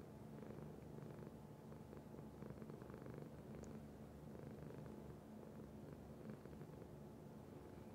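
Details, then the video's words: Continuous purring from a domestic cat, deep and buzzing, swelling and easing with each breath across the whole stretch, one tiny click midway. "Cat Purr"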